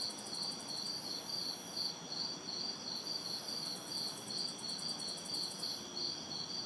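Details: Crickets and cicadas in a backyard chorus on a hot, humid summer night in the city: a steady pulsing high trill throbbing about twice a second, with a shrill buzzing overtone switching on and off, and faint distant traffic hiss beneath.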